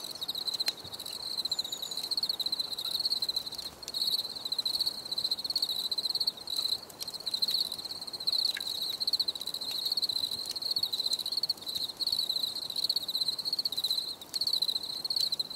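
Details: Crickets chirping steadily, a narrow high band of rapid pulsed trills in bursts separated by short gaps, nearly continuous, with faint clicks and a brief higher whistle-like trace in the background.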